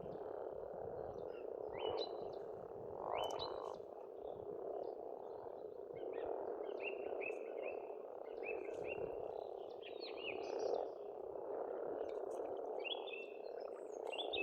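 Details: Frogs chorusing at a pond on an Estonian farmstead in spring, a dense, continuous croaking hum that swells and eases, with bright whistled birdsong phrases repeated above throughout.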